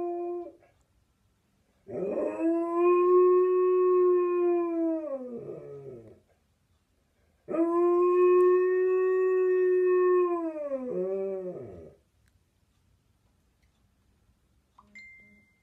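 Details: A pet husky malamute mix howls at an ice cream van, giving two long, steady howls, each dropping into a wavering fall at the end.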